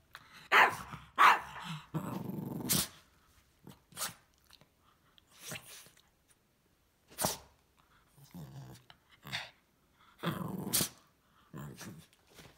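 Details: Isabelle, a female Cavalier King Charles Spaniel, barks indoors at a vacuum cleaner while playing with her favorite toy ball. Sharp barks and low growly bursts come at uneven intervals between quieter pauses.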